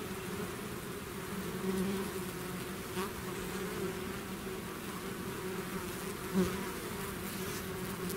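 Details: A swarm of honey bees outside its hive gives a steady, low buzzing drone with a hum pitched near two hundred cycles.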